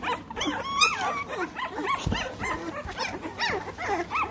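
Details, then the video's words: Several three-week-old American Bully puppies in the United Kingdom, a litter calling together: overlapping high, wavering whines and squeaks, many short rising-falling cries crowding one another, with a sharp click near the middle. "American Bully"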